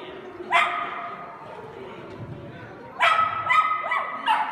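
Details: Kooikerhondje, a Dutch duck-tolling hunting dog breed, giving one loud bark, then after a quiet gap a quick run of three or four higher barks close together.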